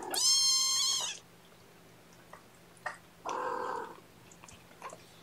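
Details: Hungry kittens at a morning formula feeding by syringe on 8 May 2018; a long, loud, high-pitched mew of about one second, quiet pause, then a lower, rougher cry, with light rustling.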